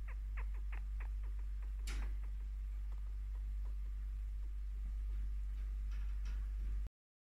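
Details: A 5-year-old female chinchilla, strongly bonded with her owner, gives quick, soft chirps in a rapid series that slows and fades, a sign of contentment, while being scratched and given attention.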